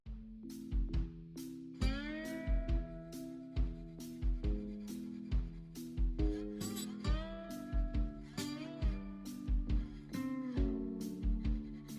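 Bluesy guitar music with steady drum beats plays throughout, with no animal sound.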